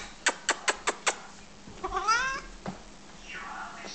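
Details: Siamese and Chestnut Oriental cats perched on a cat tree indoors; five quick sharp taps open, followed by a clear wavering meow that rises then falls, a brief short sound, and a softer descending meow near the end.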